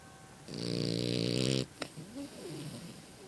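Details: A French Bulldog puppy asleep and snoring: one loud, buzzy, rattling snore lasting about a second with a fast pulsing texture, then quieter wheezy breaths.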